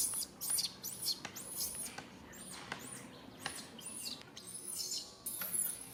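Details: Baby monkey calls for its mother, unable to get help: shrill, arched squeals repeated almost continuously, loud and high, with clicks and brief speech after.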